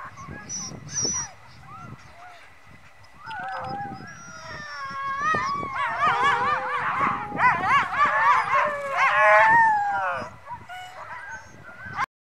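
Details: Greenland sled dogs at Ilulissat, Greenland, howl together in a chorus of wavering, overlapping voices that swell and rise in pitch, over scattered barks and yips, then fade away.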